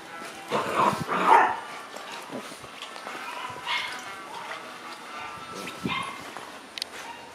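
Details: Shiba Inu puppies playing chase, with a pair of sharp yelping barks early on, then quieter scattered yips and snorts over human voices and faint background music.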